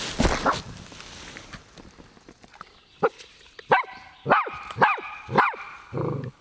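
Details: Family dog barking at a fishing lure while its owner fishes during a summer overnight camping trip in the arctic hills of Lapland, Finland; a run of five or six sharp, loud barks about every half second after quieter sounds.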